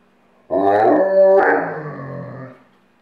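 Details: Pet dog howling on command while on a couch, one sustained harmonic howl of about two seconds that steps slightly higher midway, then fades.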